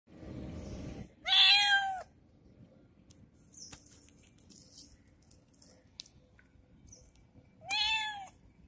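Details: A kitten, noisy after treatment, gives two loud, high meows about six seconds apart, each rising then falling with a bright harmonic stack; quieter rustling and faint clicks fill the gap between them.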